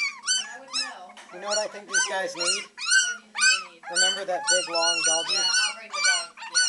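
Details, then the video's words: Three-week-old Beagle puppies at an animal shelter in Maryland, practicing their howling: high, wavering yelps and bays in quick overlapping bursts, several pups calling together, with women talking softly nearby. "3 week old Beagle babies baying away"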